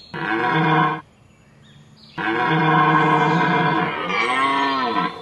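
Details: Red deer (Cervus elaphus) roaring during the rut: two loud, deep, harsh bellows with a rich stack of overtones. The first lasts about one second, the second is longer and sustained, with a short quiet gap between them.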